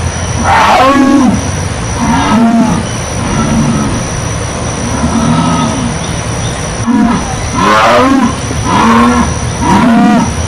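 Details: Jaguar making a series of deep, hoarse grunting roars, each a short sawing stroke, repeated roughly every second in uneven bursts over a constant background hum.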